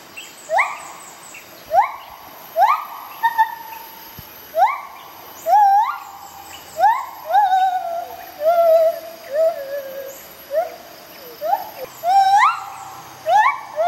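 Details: A white-handed gibbon pair, Bella and Dexter, under rehabilitation, sing together: loud upswept whoops about once a second, some bending into quavering falling notes, over constant high insect whine.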